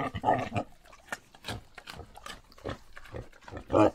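Harsh, throaty grunts from a wild boar open and close the sequence, rising into brief squeal-like cries. Scattered clicks and rustling sounds fill the quieter stretches in between.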